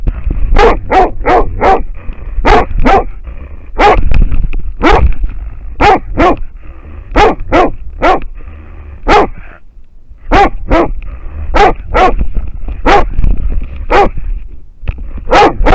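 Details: American Foxhound barking at a wild boar, recorded by a trail camera: loud, sharp barks repeated in quick bursts, a short pause near the middle, then more rapid barks over low rumbling background noise.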